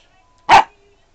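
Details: Sailor Bear, a 13-week-old puppy mixing Australian Shepherd/Chow with Mini English Cream Dachshund, barks on command after being told to speak: one short, sharp, single bark in an otherwise quiet room.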